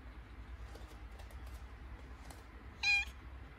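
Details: A cat in labour, mid-contraction, gives a brief, clear meow near the end, preceded by faint soft rustles and clicks, with low household hum underneath.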